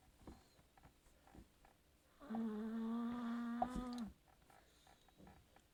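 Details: Snoring Chihuahua that eventually wakes itself; one sustained nasal whistle lasting nearly two seconds at an even pitch, framed by faint breathing and small rustling sounds.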